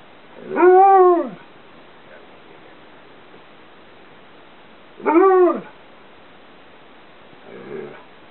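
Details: Chewy, a 2 1/2 year old female Karelian Bear Dog/Alaskan Malamute cross, talking while playing a favourite game in the bedroom: two arched, harmonic woo-like vocalizations about four seconds apart, then a faint short grumble.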